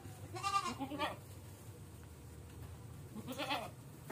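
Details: Goat suffering from a navel infection and stiffened legs, being treated with antibiotics, gives two quavering, nasal bleats close together, then a third bleat about three seconds later, over low background noise.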